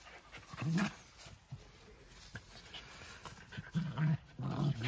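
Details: Two Jack Russell Terriers, close friends, play-wrestling for fun: short low rumbling growls come in brief bursts near the start and again in a cluster toward the end, with quiet scuffling between.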